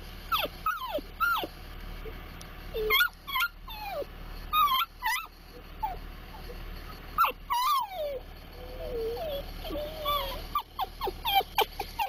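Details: Timbits-loving Dachshund growing more worked up as the Timbits get closer, giving repeated high whining whimpers that rise and fall, some drawn out, others short and sharp, through most of the stretch.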